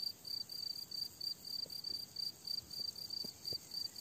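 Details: On a summer meadow, crickets keep up a continuous high chirping in quick evenly spaced bursts, with a few soft clicks underneath.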